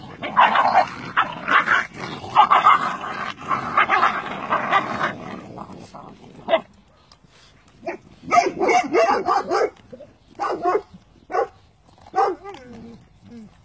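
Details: Cane Corso Italiano puppies being naturally weaned, eating their meal: about six seconds of dense, overlapping yips and whimpers, a short quiet gap, then separate short yelps and whines, some rising, spaced one to two seconds apart.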